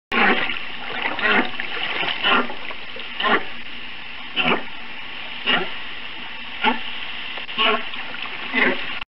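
Humpback whale song comes through as a chain of rising, whooping units, each sweeping upward and repeating roughly every second. A steady rushing, watery background noise runs beneath the calls.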